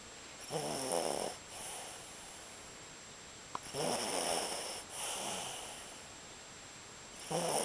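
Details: Capi, a sleeping dog, snoring: breathy, rasping snores come in slow, uneven bursts roughly every three seconds, with quiet pauses between breaths in a quiet indoor room.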